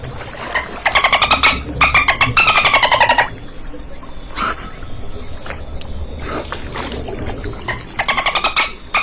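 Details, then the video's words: Rasping pulsed bursts from a dolphin, three quick click trains in a row, then a pause filled with scattered clicks and low background noise, and a final run of rapid pulses near the end. "DOLPHIN SOUND EFFECTS - Dolphin Natural Sounds"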